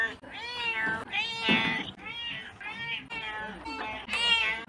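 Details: Domestic cat meowing in a compilation, a run of drawn-out, wavering meows with strong bright overtones, each lasting about a second, rising and falling in pitch, with brief gaps between calls.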